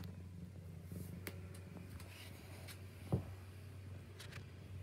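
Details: Domestic cat giving a continuous low, even purr in a small room, broken by a few soft taps and one sharp knock partway through.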